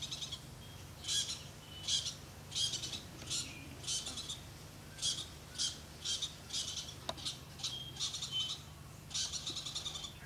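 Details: Squirrel sounding off in the Okavango Delta, Africa: dense, rapid run of harsh, scratchy chatter bursts, some short and some drawn out, following one another almost without pause against a constant low hum.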